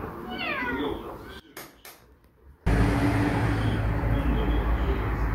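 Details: Street cat meowing outdoors: a few short, rising-then-falling harmonic meows in the first second, followed by a sharp break and then steady low rumbling noise, like traffic or wind.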